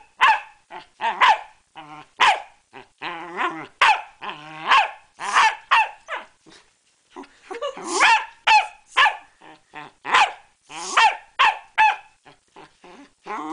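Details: Pembroke Welsh corgi Ginger attacking a bicycle pump, for no apparent reason: rapid bursts of sharp, rough barks mixed with rasping growls, about two per second, with short pauses between flurries and no other clear sounds.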